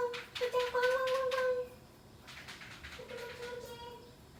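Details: Household cats in a Thai town at dinner time, after rain in the evening: two drawn-out, steady, tonal meows, the first lasting over a second and the second softer, with quiet indoor room sound.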